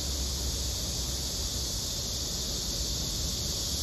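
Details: A Korean cicada, while fire ants disturb it, gives a steady, high, hissing drone that holds without a break over a low rumble of background noise.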